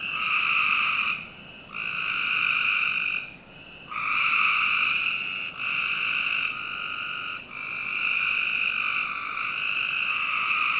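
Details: Frogs in a Northern Virginia backyard on a summer night keep up almost unbroken buzzy trilling. Only a few brief dips interrupt the overlapping calls of several animals.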